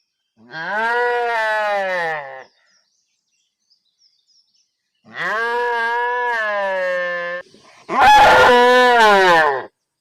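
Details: Three drawn-out cow moos, each steady and deep with rich overtones. The first two are about two seconds long, with a long pause after the first. The final moo is harsher and more forceful.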